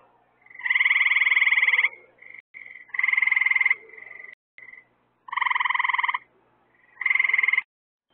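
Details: Frogs at night by added lights that attract insects as food, giving harsh pulsed trills. Four loud bursts of under a second to over a second alternate with thinner, quieter trills and a couple of sharp clicks.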